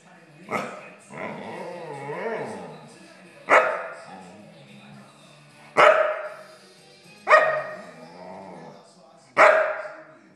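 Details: Talkative water dog, a male that likes to yak through the day, gives five drawn-out harmonic yowls and howl-like vocalizations about two seconds apart, each starting sharply and trailing off, with a person speaking nearby.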